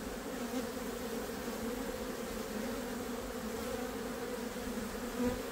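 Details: Many honey bees on a frame of nectar and honey, producing a continuous low droning hum that holds an even level, with a faint soft knock just before the end.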